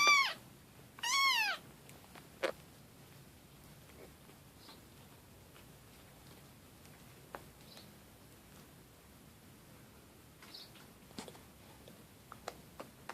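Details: Kitten meowing indoors: two loud, high, bending meows with rich overtones in the first two seconds, then a quiet room with scattered faint clicks and taps.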